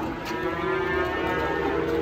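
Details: Giant Pegon cattle, one of two animals each nearing a ton, during weighing in Indonesia: a steady, droning low moo held for nearly two seconds, with background chatter and crowd noise.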